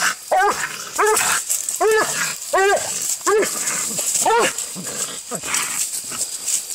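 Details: Treeing Walker Coonhound in a fight while coon hunting, recorded on a phone: loud, hoarse barks repeat roughly every three-quarters of a second, each with a short rising-falling tone, over a constant hissing background.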